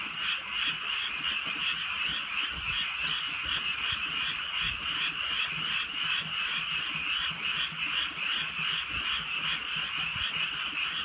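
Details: Night in the countryside while rain falls softly, and a massed frog chorus fills the air. Quick, rhythmic croaks overlap without pause, with faint rain patter and low thumps in the background.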